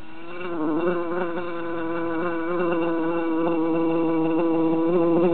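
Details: Three jar-trapped bees in summer hum insistently, the buzz swelling gradually in loudness with small rapid pitch flutters throughout.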